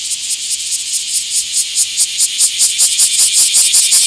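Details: Bear cicada, small park, 24 July 2026: rhythmic shrill pulses, about two or three per second, each a grating burst, growing louder and more distinct over the few seconds.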